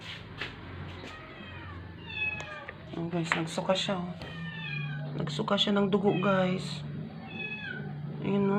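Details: Dying rescued stray house cat that had stopped eating for twelve days and vomited after vet treatment; rapid series of short, rising-falling meows growing denser midway, backed by a low droning hum and faint voices.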